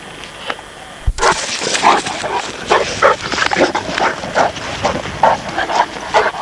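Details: Presa Canario and Neapolitan Mastiff pups playing together: after a sharp knock, a run of short, rough growling yaps and grunts, rising and falling in quick uneven bursts.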